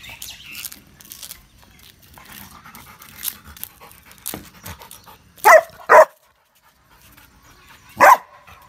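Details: Roxy, a female Rottweiler, barking on a guard command: a few seconds of quiet, faint rustling, then three deep, sharp barks, two close together and a third after a two-second pause.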